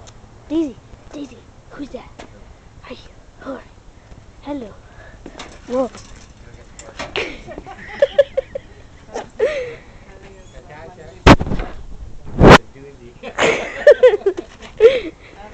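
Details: A husky/wolf mix named Emily, a pet female runt who had seven pups, gives a run of short arched rise-and-fall 'woo' vocals about once a second. Sharp knocks and overlapping voices come later.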